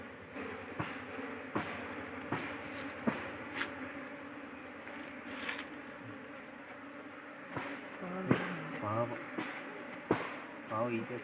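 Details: Honey bees at a managed hive during beekeeping work in Kerala: a steady, low, droning hum with scattered sharp clicks and knocks from handling the hive, louder bursts near the end.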